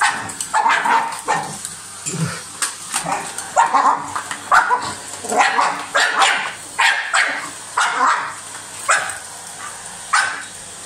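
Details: A dog biting a vacuum cleaner barks in a steady string of short, coarse yaps, a little over one per second, with the hoover's continuous whine and low hum behind.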